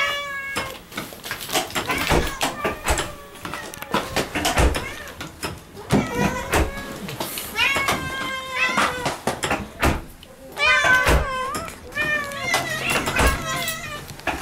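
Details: Homecoming greeting from Moo, a pet cat, at the entrance: frequent insistent meows, several drawn out with wavering pitch, overlapping human chatter and footsteps as the owners step inside.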